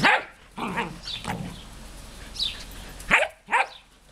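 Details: Two dogs, a smooth collie named Juste and an old labrador named Luna, having fun at play: short rough barks and yelping bursts, about five in four seconds, some strained and growly, with quieter gaps between.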